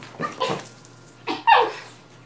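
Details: Rat Terrier romping with a Maltese/Yorkie mix, giving quick high yips followed by a louder, drawn-out bark with a whiny edge, room hum underneath.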